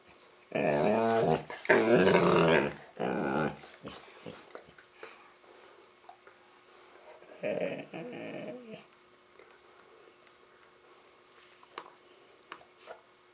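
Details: Playful Labrador noises during a game with a Rottweiler puppy: loud, throaty, harmonic growls in rapid bursts for about three seconds. A shorter growl comes midway, then quiet shuffling.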